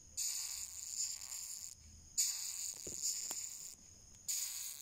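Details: Asiatic rhinoceros beetle, or coconut rhinoceros beetle, screaming: three harsh bursts of high, airy hissing noise, each lasting up to about a second and a half, with short quiet gaps between them.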